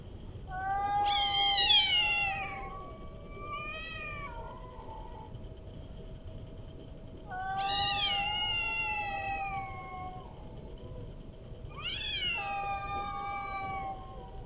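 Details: Cats fighting with strange-sounding calls: three long, drawn-out wailing yowls that waver and slide downward, each lasting two to four seconds, separated by pauses, over a steady low background hum.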